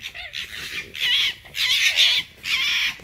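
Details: Esmae, a dominant fox in a yard, moody in the morning and screaming in another fox's face: three harsh, high, raspy screams, each about half a second long, separated by brief pauses.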